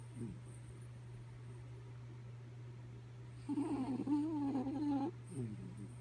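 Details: A dozing dog named Kaya Boo gives one long, nasal, whistling snore of about one and a half seconds that wavers in pitch, followed by a short breath, against a steady low background hum.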